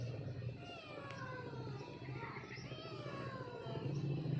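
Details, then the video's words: A cat calling for her kitten with long, sliding meows that fall in pitch, partly masked by a steady low hum and background noise. "Cat Calling Her Kiten"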